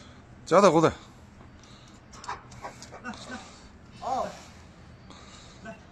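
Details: Tibetan Mastiff giving a loud, strained yelping bark near the start and a shorter, softer one about three seconds later, with people talking quietly in Chinese in between.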